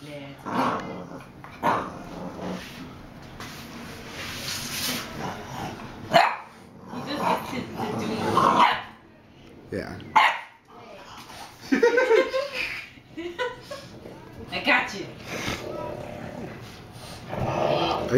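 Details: Play-fighting bulldogs, big cousin Bowser letting young Hamboy win; repeated growls and snappy barks in uneven bursts, quiet gaps between, a person talking throughout.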